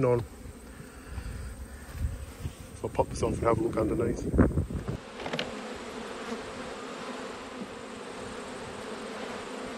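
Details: Colony of honey bees droning as a beekeeper opens hives in autumn, checking a swarmed colony with a new queen; a broad, even hum fills the clip, overlaid early by handling noises and muffled talk before settling into a steady buzz.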